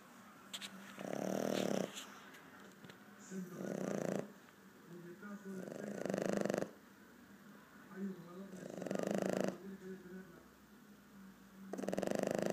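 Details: A 4-month-old Boston Terrier snores in rough, rasping breaths that repeat about every two and a half seconds.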